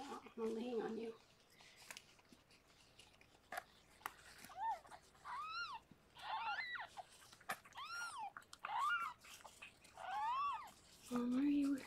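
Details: Rescued foster cat Harlequin gives birth to six kittens indoors; a run of high, thin mewing squeaks, each arched and rising then falling, comes in short bursts, with a human voice speaking at the start and end.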